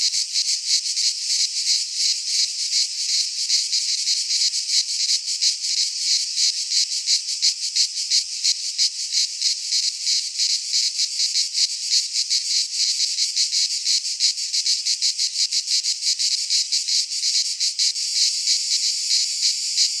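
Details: Chorus of cicadas in a Greek pine forest at midsummer, a steady shrill buzz that throbs in quick pulses throughout and shifts slightly in tone near the end, with nothing else audible.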